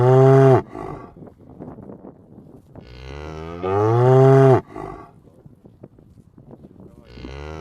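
A cow gives long, deep moos with a rich harmonic tone, a short one first and then a drawn-out one.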